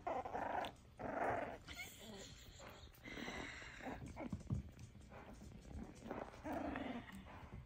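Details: F1b Cavapoo puppies about four weeks old growl and give small yapping barks in bursts, with a person speaking softly.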